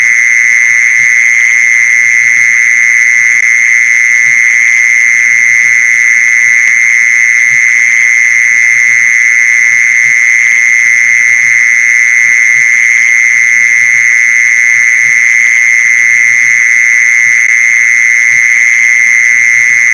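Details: Mole cricket calling, a sound used to lure mole crickets: a continuous, even, high buzzing trill without pauses or changes in pitch, over a soft low background hum.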